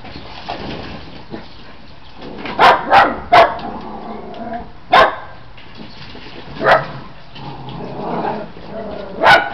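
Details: Australian Shepherd puppies playing, giving short sharp barks in scattered bursts, a quick run of three near the middle, then single barks spaced a second or two apart, over a faint steady background hiss.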